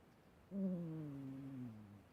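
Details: Old, sick female pet cat, who later died aged 18.8, snoring indoors: a single drawn-out, low, tonal breath that holds steady then slowly sinks in pitch over about one and a half seconds, quiet room otherwise.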